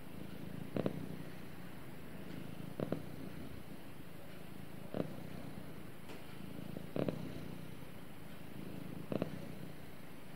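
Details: Cat purring contentedly during snuggle time with its owner; a deep, even rumble punctuated by rhythmic louder pulses about every two seconds, like breaths in and out.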